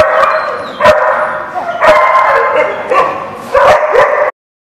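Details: Many dogs bark together at a dog lot, a dense, continuous chorus of overlapping barks and yips with sharp metallic bangs.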